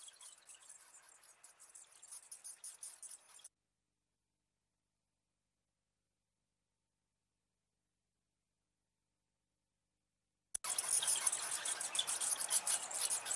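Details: Bats in California give audible social calls, dense high-pitched squeaks and clicks mixed with bat-detector sound, then a long stretch of silence.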